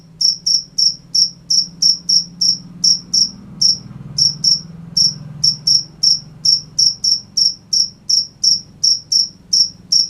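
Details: Night crickets give rapid high-pitched chirps, roughly three per second, with a brief gap near the middle and a soft low rumble in the background.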